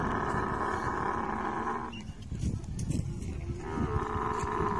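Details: Rumbling, low, gurgling roar from a camel while mating. It drops into a scratchy, uneven lull midway, then swells back into a steady, banded drone.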